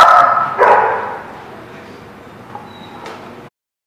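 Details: Dog barking on December 16, 2016: two sharp, loud barks within the first second, then a long quiet stretch with faint background noise and a brief thin tone near the end.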